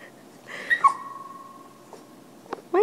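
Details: Pet Boston Terrier male singing on command beside a microphone; one sustained whine-like howl holding a steady tone after a brief rising start, with a few short clicks and a sharp sound at the end.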